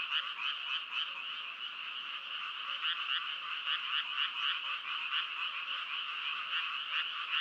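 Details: Dense chorus of frogs, quick pulsed croaks repeating roughly four times a second over a constant trilling background, brighter chirping notes standing out now and then.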